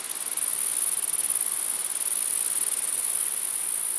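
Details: Many grasshoppers humming together at night, a thin, shrill buzz with a fast throbbing pulse of roughly four beats per second; nothing else is audible.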